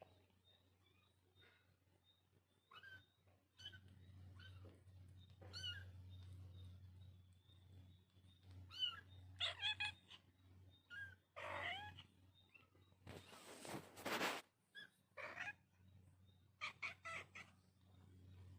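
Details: Kittens meowing softly, with several short, high, arched meows mostly in the second half. A loud rustling burst comes near the end, over a faint steady hum.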